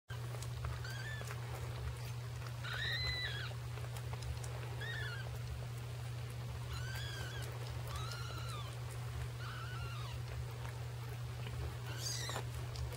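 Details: Annie the cat with her kittens: about eight short, high, arched mews, scattered irregularly and some doubled, rise and fall over a steady low electrical hum.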